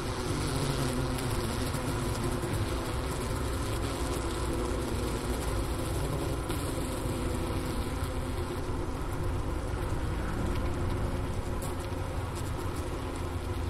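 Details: Honey bee hive in winter, recorded at the Wooster campus of Ohio State University near 4 PM, January 16, 2024, 15 °F outdoors, by the inner-cover hole beside remains of a sugar brick; a constant deep hum with steady overtones.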